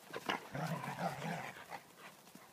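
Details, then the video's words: Two Dobermans, Gabbana and Zeus, play fighting: after a few short snorting scuffles, a low rumbling growl rolls on for about a second, then eases into softer grumbles and faint movement noise. "Dobermans Play Fighting"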